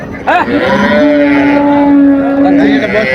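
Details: Improved-breed dairy cows and calves at Raniganj cattle market, Dinajpur, on 27/7/25: a brief rising onset, then a long, steady, resonant moo held for nearly two seconds, with market chatter and bargaining voices around it.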